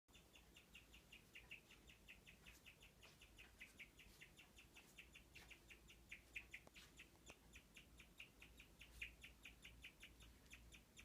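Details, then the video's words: A guinea pig hiding under a wooden shelter in the left cage chirps in a long, steady run of high, bird-like notes, several each second. "기니피그 특이한 울음소리 (Guinea pig chirping sound)"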